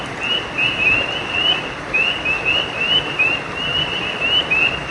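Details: Frogs calling at night beside a creek: short, bright, upward-sliding chirps given in loose clusters of two or three, about a dozen in five seconds, over a steady rushing hiss of flowing water.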